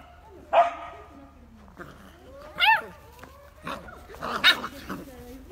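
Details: Two Beagle puppies playing together give short, high, rising yips and squeaky barks, spaced a couple of seconds apart.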